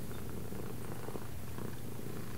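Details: Continuous rumbling purr from a domestic cat, low and even, pulsing gently for over two seconds.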